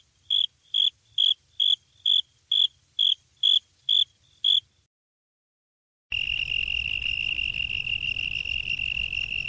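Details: Cricket calling with a run of nine short, evenly spaced high chirps about half a second apart, then a brief silence, followed by a steady, unbroken high trill.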